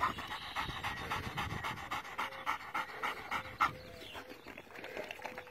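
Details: Panting from a Doberman Pinscher, linked to judging whether a dog is dehydrated: quick, airy in-and-out breaths at roughly three to four per second, with a brief sharp click midway.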